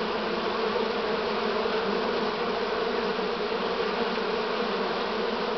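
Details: Steady, even drone of a honey bee swarm, a late swarm of the year recorded in Romania on 6 September 2019; the massed wingbeats form a continuous hum without pauses.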